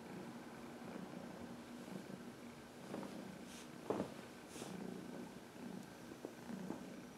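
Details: Fourteen-year-old shelter-adopted cat purring during a self-massage on a person's knuckles; continuous low purr interrupted by several brief rustling or bumping sounds from movement.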